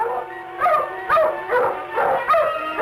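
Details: Hunting dogs closing in on a jaguar during a hunt filmed around 1965, the quarry liable to charge at any moment: loud barks about every half second, over a steady background of sustained musical tones.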